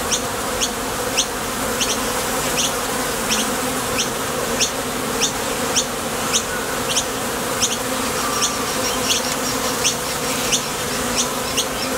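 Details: Honey bees at the entrance of a top bar hive, coming and going to forage for nectar: a dense, steady drone from many wings, with faint sharp ticks repeating overhead.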